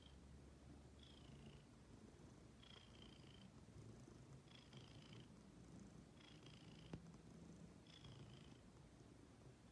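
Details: Ginger, a female pet cat who likes to sit waiting to be petted, purring indoors: a steady low rumble throughout, with a thin whistling breath sound recurring roughly every one and a half to two seconds.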